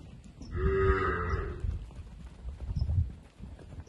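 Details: One of 55 heifers aged 15 to 16 months, held for sale at Indiaporã on 12/02/24, gives a full, steady moo of about one second, with low thuds and background shuffling afterwards.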